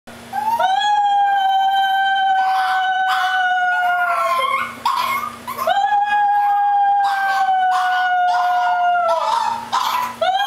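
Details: Pet Chihuahua singing, howling like a coyote: two long, steady, tonal howls, each held about four seconds with a rich harmonic stack. Each ends in a falling slide, followed by brief wavering yips, over a faint constant low hum.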